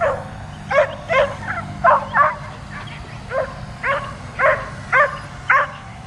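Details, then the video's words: Dog barking repeatedly at an overhead drone it keeps trying to jump at; a steady string of about a dozen sharp barks, some doubled, with drone hum underneath. "DOG BARKING AND JUMPING AT DRONE"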